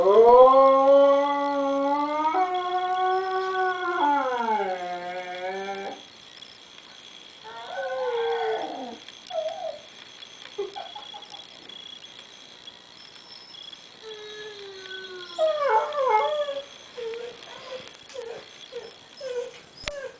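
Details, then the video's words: Diva, a house dog missing a child she heard over the computer, gives a long wavering howl stepping up and down in pitch, then softer broken whimpers and yips trailing off, with a constant high electronic tone throughout. "Funny Dog missing Baby"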